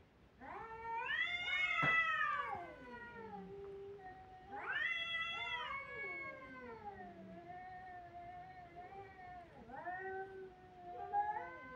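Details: Kittens crying: long, drawn-out wailing meows that rise and then fall, several overlapping in quick succession, loud at first and then softer, wavering cries toward the end, in a quiet setting.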